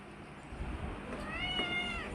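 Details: Persian cat in her first pregnancy, asking for food, utters a short, bright, harmonic-rich meow near the end, softly heard over room noise and between the owner's Tagalog and English questions.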